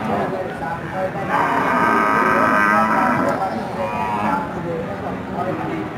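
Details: Cows, including a local desi cow, offered for sale while people talk about age, teeth and milk yield; a drawn-out, harmonic moo rises out of the bustle for about three seconds amid steady human chatter.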